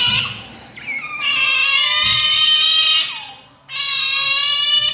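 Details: Two pet otters, Brownie and Daisy, begging for their breakfast catfish, letting out sustained, piercing high-pitched screams that hold steady for about two seconds, break briefly, then resume just as loud and shrill.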